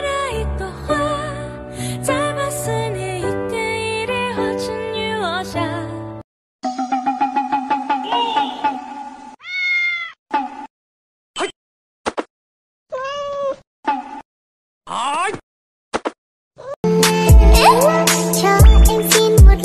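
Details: Domestic cats from a compilation of pets caught on camera; a run of high, drawn-out meows, some rising then falling, sounds between stretches of loud music at the start and end.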